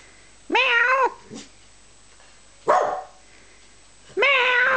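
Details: Twelve-year-old Australian Terrier singing along indoors, recorded 26 October 2010: three drawn-out, wavering howls with a rising then falling tone, separated by short silences.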